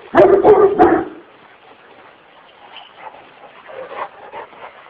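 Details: Aggressive Kurdish Kangal dog wanting to attack gives three quick deep barks in the first second, followed by faint distant noises and quiet background.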